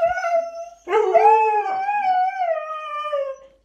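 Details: Siberian Husky, a pet dog, howling loudly in a home while being asked who made a mess; a wavering tonal howl around a steady pitch with rich harmonics, breaking briefly then sustained and slowly falling, with a person's voice nearby.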